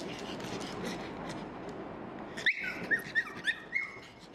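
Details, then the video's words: Small pug dogs crying and calling for food, begging; a run of high, thin whines and squeaks, about five short rising-falling cries in quick succession over faint household background noise. "Small Cute Pug Dogs Crying And Calling For Food"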